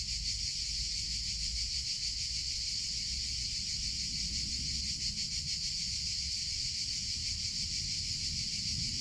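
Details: Cicadas in summer keep up an unbroken shrill buzz, pulsing rapidly and evenly, with a low rumbling background that swells slightly now and then.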